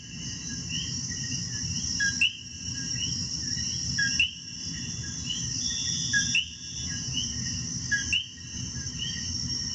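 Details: Coqui frogs calling in Puerto Rico: overlapping short whistled notes that sweep upward, several callers at once, over a steady high insect drone and a low rumbling background, with brief quiet gaps about every two seconds.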